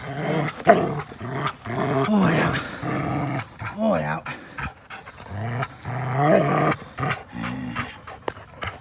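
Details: Two dogs, an American Pit Bull Terrier and a blue Belgian Malinois cross, playing together, with rough growls, snarls and panting in bursts, and a person's voice mixed in.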